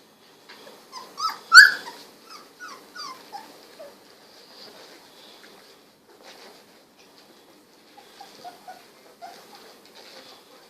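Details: Sixteen-day-old Golden Retriever puppies, eyes newly opened, squirming and snuggling; scattered soft whimpers and one loud squeal early on, then quiet, faint squeaks resuming near the end.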